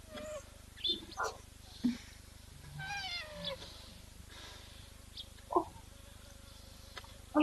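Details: A rhinoceros in the Eastern Cape, possibly a baby though also called massive, gives high, whale-like squeaks and whines, some sliding downward; such sounds usually come from small rhinos.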